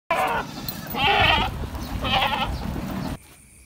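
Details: Goats at feeding time in a farm pen in Indonesia, giving three loud wavering bleats about a second apart, each buzzy and harmonic-rich, over low background rumble and clatter.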